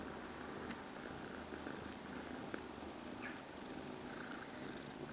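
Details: Cat, cared for by a surrogate mother cat, purring softly: a steady, low, even rumble running without break, quiet and close, with a faint hiss behind it.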